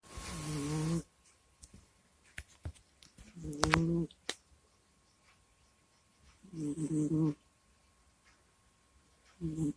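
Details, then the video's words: Pet cat named Kusya asleep indoors, recorded on a microphone: low, harmonic groaning snores come in bursts about every three seconds, with quiet breathing and faint clicks between. "Прикольный Кот Куся Сопит, Храпит, Стонет и Кряхтит во Сне в Микрофон"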